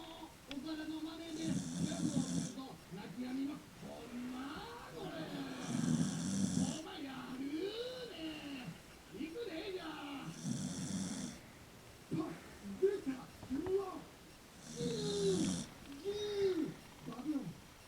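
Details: Leo, a pet dog sleeping indoors after a heartbreak over Nana, a three-year-old Mame Shiba, snores in hissing, rasping bursts about every four seconds, with a person's voice talking steadily between and over the snores.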